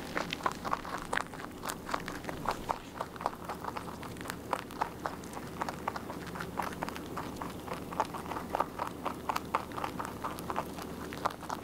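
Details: Rabbit steadily eating its food, chewing in quick crunchy bites, several crisp clicks per second, sustained throughout with a short softer pause near the start, indoors and close up.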